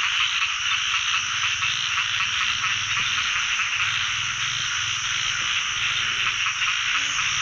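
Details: A pond full of narrow-mouthed frogs in chorus during the year's first frog catch; an unbroken shrill wall of overlapping calls above a low, pulsing throb underneath.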